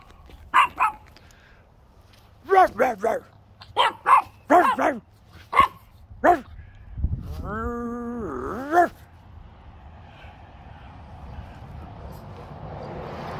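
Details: Boston Terrier and French Bulldog mix dog playing: a run of short, sharp, harmonic yips and barks in quick clusters, then a longer wavering, whining vocal with a strong low tone, followed by quieter background noise.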